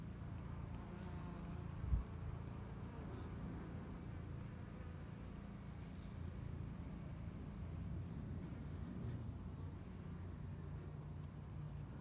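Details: Steady deep droning hum from a spring honey bee colony in Texas, a two-year-old hive busy building up before the honey flow, the buzz continuous and even with one brief soft knock.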